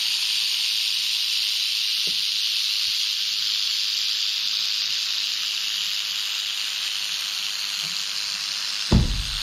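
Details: Canebrake rattlesnake (Crotalus horridus), a female found on a dirt road in North America at the close of a herping season, rattling while a camera is pushed toward her with a hook: a steady, hissing high buzz, unbroken, with faint knocks.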